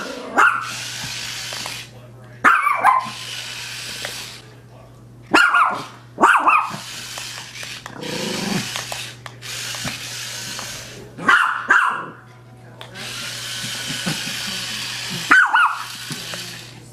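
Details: A Maltese puppy barking while playing with a toy spider indoors: sharp, high yappy barks in short bursts, some doubled, spaced irregularly every two to four seconds, with softer scuffling between them and a low steady electrical hum underneath.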